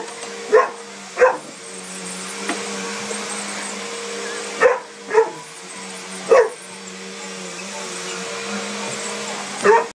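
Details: A scared Mastiff barks at the sweeper in spaced pairs, six barks in all with long pauses between, over an unbroken droning hum from the machine.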